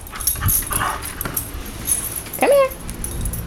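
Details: Dog during obedience training, performing tricks on command; a single short high whine rising then held steady near the middle of the clip, surrounded by a person giving commands like sit, roll over and down.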